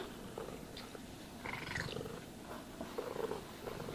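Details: Domestic cat purring while being brushed and groomed indoors; a soft, low continuous rumble runs under scratchy brush strokes that swell around the middle and again near the end.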